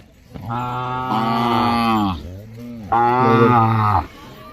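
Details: Two long, deep moos from a bullock. The first is steady and lasts nearly two seconds, and the second is a little shorter after a brief break. Both stay flat in pitch with strong overtones.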